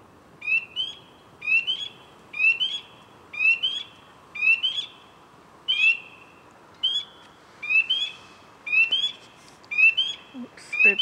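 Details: Loud frog found calling on a branch in a trench, ripples spreading from its vibrations: paired rising whistled chirps, each followed by a held tone, repeated about once a second in a steady run of roughly ten calls.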